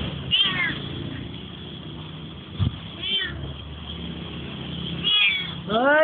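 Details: A cat in Malaysia that appeared during a photo shoot and followed the people around gives four short, bending meows, roughly every one to two seconds, over a steady low hum.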